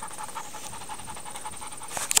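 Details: Young Doberman, 11 months old, from a rescue, panting while practicing basic commands; fast even breathing pulses, then a short rustle and clicks at the end, over a steady high-pitched background whine.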